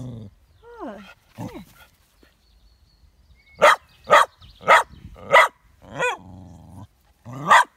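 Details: Two-year-old partially sighted male Westie Yorkshire terrier picking a fight with his shadow indoors in Tain, Scottish Highlands, on a sunny day: whining yelps first, then a burst of about six rapid, harsh barks with a short growl between.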